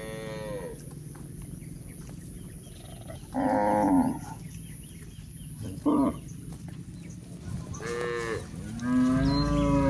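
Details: Herd of village cows out on a green pasture during a day of grazing, giving a series of short and longer moos spaced a few seconds apart, the last one long and falling, over a steady low rural hum.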